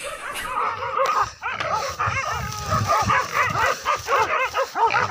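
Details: Village dogs chasing a wild boar, hunted with dogs and spears from forest down to a river; dense overlapping barks and yelps, rapid and continuous, several dogs at once, with rustling in the background.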